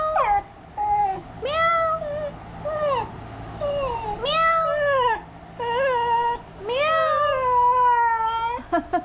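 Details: Home Dachshund answering meowing with its own cat-like cries: a run of drawn-out whining, bending calls, some rising and falling, others sliding down, repeated closely over nine seconds, human meow sounds mixed in.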